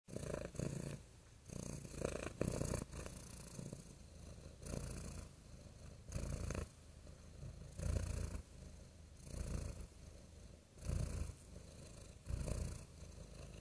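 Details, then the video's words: Real domestic cat purring softly, a low rumbling throb that swells and fades in steady pulses about every one and a half seconds, with faint background hiss throughout. "Soothing Cat Purring Sounds"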